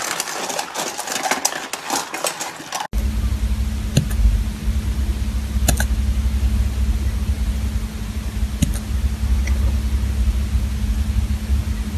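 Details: A burst of noisy clatter gives way to a steady mechanical hum broken by a few sharp clicks, with no animal sound.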